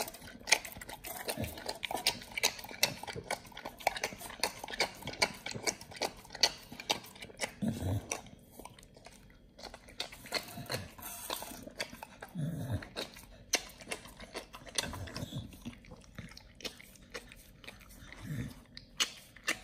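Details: Raw quail meal for Nomyen the Pit Bull: steady crackling mastication with frequent bone crunches and a few deeper, heavier bites spaced a couple of seconds apart near the end.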